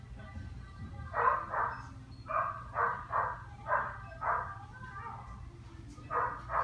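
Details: A dog barking in short, rough bursts, often in quick pairs, about a dozen over several seconds, with a steady low hum underneath.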